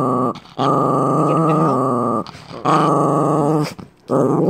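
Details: Pet Chihuahua, a male, growling in hostility at his owner's boyfriend: three separate rumbling, rattly growl bursts of one to two seconds each, divided by short quiet pauses for breath.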